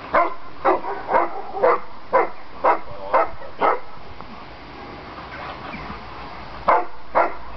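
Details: Landseer dogs playing at home during a family visit by Aiko's sister Adina and mother Zindy: loud, sharp barks repeated about twice a second, a quiet gap in the middle, then two more barks at the end.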